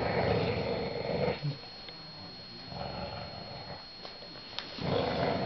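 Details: Eighteen-month-old English Bulldog named Lester fights a hoodie indoors: a rough rumbling growl opens, fades into quieter heavy breathing, then another gravelly growl returns at the end.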